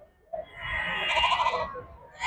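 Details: Sheep or ram at a goat and sheep market in Nandigama, recorded 28 June 2025: one drawn-out, harmonic, nasal bleat lasting about a second and a half, followed by the start of another rising bleat, with low market rumble underneath.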